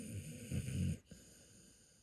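A dog gives a low, rumbling snore that fades into quiet breathing.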